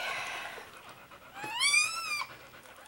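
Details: Newborn Soft Coated Wheaten Terrier puppy, indoors during its litter's birth, gives one loud, clear whine that climbs and then falls in pitch with rich overtones, lasting under a second, after soft breathy sounds.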